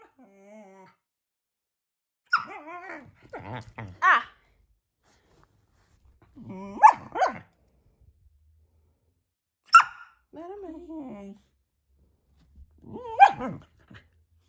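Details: Female Border Collie puppy indoors in the morning, fresh from the garden, vocalizing at her owner's bed to wake her. Four bursts of whiny, moaning, wavering grumbles with sharp yelps, separated by quiet pauses.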